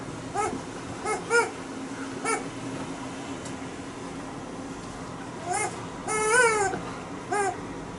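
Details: Alaskan Malamute giving a few scattered whiny, rising-then-falling vocal bursts with quiet gaps between, over a faint steady background hum.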